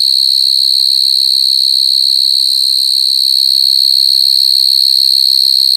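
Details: Coconut crickets give a sustained, shrill, evenly pulsed trill at a constant pitch, steady from start to end, with scattered faint low noises beneath.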